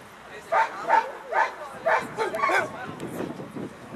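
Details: Eleven-year-old American Staffordshire Terrier, Chefrem of golden Samurais, barking during a German VPG protection dog exhibition while the helper throws away the bite sleeve; a quick series of sharp barks roughly every half second, with crowd noise and voices behind.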